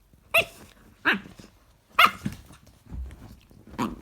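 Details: Cane Corso puppy at play indoors in a small room, giving sharp yappy barks at about 0.4, 1.1, 2.0 and 3.8 seconds, with softer grunts and scuffling between them.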